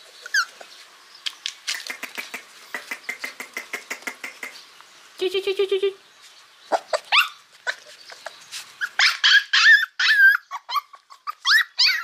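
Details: Hungry puppies crying loudly for food: rapid clicky yelps, a harmonic whine in the middle, then overlapping high squealing cries rising and falling.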